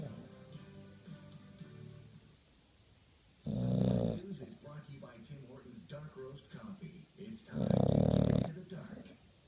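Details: Pet bulldog asleep and snoring: two loud, rasping, low snores about four seconds apart, with quieter breathing and faint voice or tonal sounds in the background between them.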